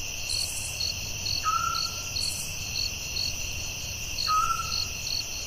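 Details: Night-time forest crickets keep up a continuous high buzzing trill with pulsed beats on top, while a brief descending whistled note sounds twice, about three seconds apart.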